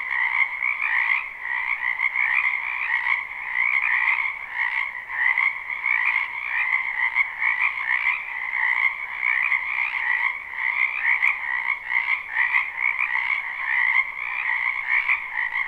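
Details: Spring chorus of many frogs in the wetland behind a house, a live recording. Continuous trilling croaks fill two steady pitch bands without pause, the loudness flickering quickly as voices overlap, and one faint click.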